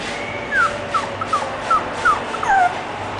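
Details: An English bulldog gives thin, high whimpering squeaks, each short and sliding downward, about seven in three seconds at roughly half-second intervals, over a faint low background hum.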